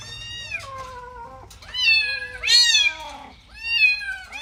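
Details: Kittens playing on green grass give a series of high, falling and arching meows, about five calls overlapping in quick succession, some strained and wavering, with a faint low hum underneath.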